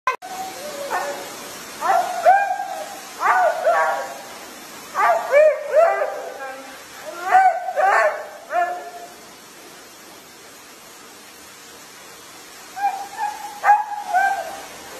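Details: Husky described as flirty and a crybaby, making a series of wavering, yodel-like whines and howls with sliding pitch, in bursts of several seconds, then a pause and a short closing whine.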